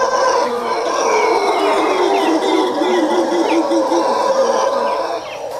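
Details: Howler monkeys in trees at Quepos, Costa Rica, howling at people below, possibly against another nearby troop to protect territory; a dense, eerie roaring chorus with steady layered tones holds throughout.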